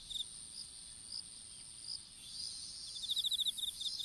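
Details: Insects calling in an open-field strawberry patch during seedling planting, caught by a dropped smartphone: scattered high chirps, then a rapid pulsed trill of about ten beats near the end, over a steady thin high-pitched whine.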